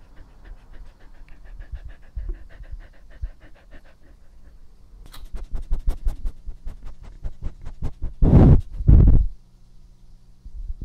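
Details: Dog named Epo in a first ASMR recording, breathing, chewing and drinking: rapid rhythmic panting breaths about ninety a minute, then a run of sharp clicking laps and two loud bursts of rustling near the end.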